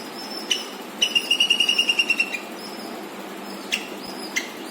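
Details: Squirrel. A squirrel chirps loudly in a fast, even burst of about a dozen bright, clipped notes. Isolated single chirps break the quiet before and after the series, over a faint background hiss.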